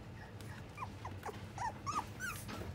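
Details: Puppy in a pet shop whimpering softly: a string of thin, high, whining squeaks that bend up and down, about eight in under three seconds, over a steady low hum of shop background noise.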